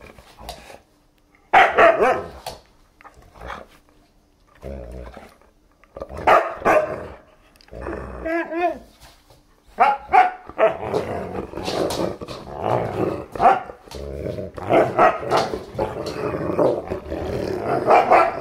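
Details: German Shepherd and Siberian Husky puppy playing indoors with a new chew toy, giving short bursts of barks and growly yips in quick irregular runs, with brief gaps of quiet between bouts.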